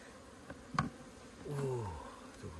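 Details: Honey bees at an opened hive in Puning, Guangdong, during comb harvesting: a brief tap, then a droning buzz that holds level and slides lower as a bee passes close, with a low hum beneath.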